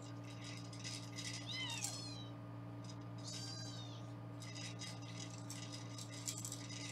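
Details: Kittens in foster care in Los Angeles, during weighing, give two high arched mews in the first three seconds amid rattling, clicking handling sounds and a constant low hum.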